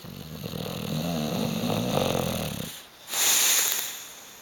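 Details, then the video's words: Hugo the bulldog, asleep on a sofa and unwilling to wake or move, gives a long rattling snore with a deep buzzing drone for nearly three seconds, then a short rush of breathy hiss. "Hugo the snoring bulldog"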